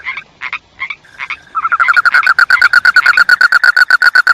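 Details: A few separate, spaced croaks open, then a frog breaks into quick, evenly repeated pulsed croaks that grow louder and keep a steady rhythm to the end.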